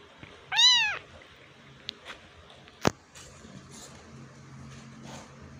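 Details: Kitten trying to climb out of a hole gives one loud, clear meow that rises then falls, followed by scattered clicks and taps and a faint low hum.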